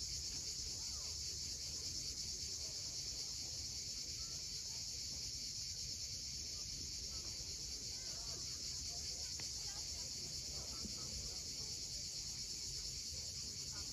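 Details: Sunset chorus of cicadas above the sea at Cape Fiolent in Crimea, a continuous shrill hiss-like whirring that never pauses, layered over deep surf wash and scattered soft bird notes.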